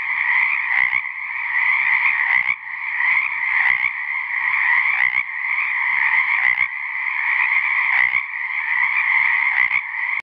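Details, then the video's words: A single male Pacific treefrog (Pseudacris regilla) gives a steady, raspy, mid-pitched call to attract females to his patch of an ephemeral pond at South Beach State Park, Oregon, on January 13, 2018. "Pacific treefrog (Pseudacris regilla) callling for the ladies"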